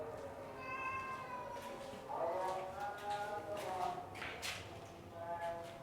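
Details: Persian cats of doll-face and extreme punch-face types kept in a cattery setup, giving drawn-out harmonic meows, a louder cluster of overlapping wavering meows in the middle, over a steady tonal background hum.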